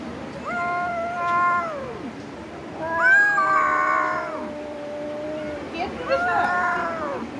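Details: Cat yowling during a fight: three drawn-out, wavering wails, each sliding down in pitch at its end, with a short gap between them; people talk in Bengali nearby.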